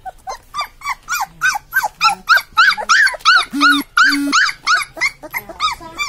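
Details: Newborn Labrador Retriever puppies crying: a steady run of rising-falling harmonic whimpers about three per second, with a couple of lower drawn-out grunting notes in the middle.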